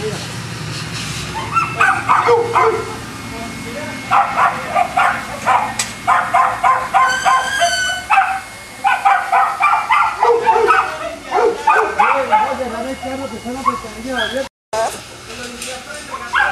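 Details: Kennel Boston Terriers in Jamundí, Cali, Colombia, barking in quick, uneven bursts, several yaps a second at times with brief pauses, one higher squealing yelp in the middle and a sudden short dropout near the end.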